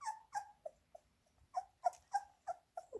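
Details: Labrador Retriever puppies waiting for minced beef whimper in short, high, slightly falling squeaks, about ten in three seconds, with a brief lull partway through.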